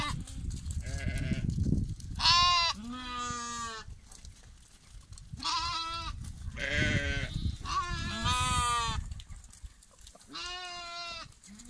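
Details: Lambs bleating repeatedly, about six wavering, harmonic-rich bleats over twelve seconds, some overlapping, over steady low rumbling background noise.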